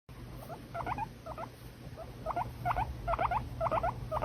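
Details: Pet guinea pig giving short, squeaky, chirping notes in quick irregular bursts that grow louder toward the end, over a low steady hum.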